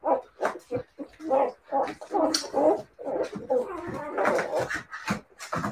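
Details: Siberian Husky puppies yelping and whining in a steady jumble of short, high, nasal cries, roughly one a second, with a few sharper bark-like yips and a human voice in the background.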